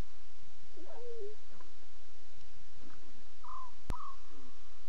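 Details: Young lions calling in the small hours, 2:40 a.m. CAT, 5 October 2016, filmed on live safari: a short descending mew, soft murmurs, then two brief higher sliding squeaks near the end, with a low rumbling background.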